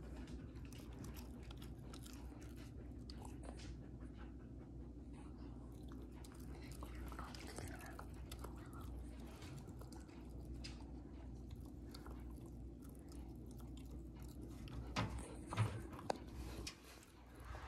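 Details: Two-month-old pit bull puppy indoors, lying under a coffee table and chewing a new teething ring while teething. Soft, irregular crunching and gnawing clicks continue steadily, with low room hum beneath and a sharper knock near the end.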